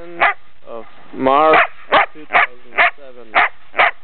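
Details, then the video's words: Young female Belgian Shepherd dog, almost ten months old, in Brno, Czech Republic, March 2007, barks repeatedly; a drawn-out whining, wavering yelp comes early, followed by six crisp barks spaced about half a second apart. "my barking belgium shepherd dog"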